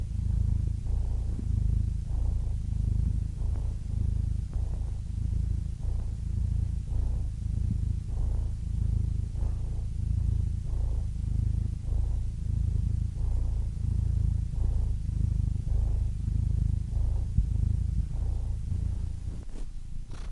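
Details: Domestic cat purring for relaxation: a steady, deep rumbling purr that swells and eases in regular breath-like pulses about every second, continuous throughout with no other sounds.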